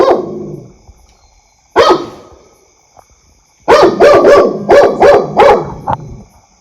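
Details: Dog barking: two single loud barks a couple of seconds apart, then a quick series of five or six sharp barks close together.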